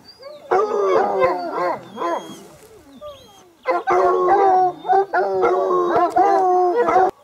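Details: Several hounds baying in chorus: choppy bursts of overlapping yowling howls, quick and uneven, with a quieter lull in the middle before loud full-chorus bursts resume.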